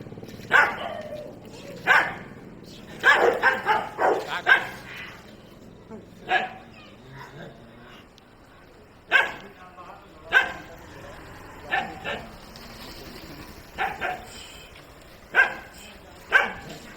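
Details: Rottweiler and other dogs in a street dog fight bark in short, sharp bursts, some in quick clusters, others spaced a second or two apart.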